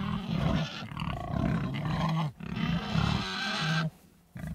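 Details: Pig voices in long, deep, droning grunts that run almost unbroken for several seconds, dropping to a pause before a short final grunt.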